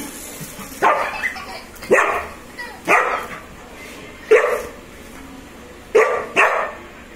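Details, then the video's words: German Shepherd puppy playing with his toy, letting out five short, broad barks and yips spaced about a second apart, some in quick pairs, over a quiet indoor background. "German Shepherd Puppy Playing"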